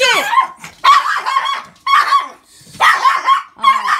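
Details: Malshi poodle welcoming its owner home after waiting since 6 a.m.: bursts of sharp, high yipping barks in quick clusters about once a second, with a woman's voice talking over them.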